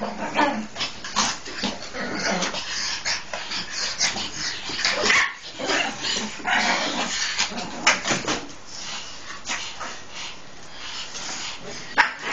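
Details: Japanese Chins playing together: a busy stream of short yips, grunts and snuffling growls, with overlapping scuffling and noisy movement throughout.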